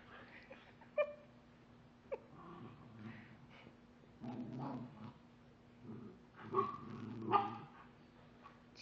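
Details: Dexter, a pet dog indoors, trying to get his bone back after another dog, Chica, stole it: short high whines and yips in bursts with a few sharp barks, a steady low hum underneath.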